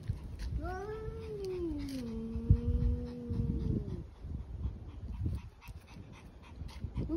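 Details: Evening yowl from a distressed stray cat at the roadside beside a black cat: a low, rising-then-falling moan lasting about three and a half seconds, followed by rustling and background noise.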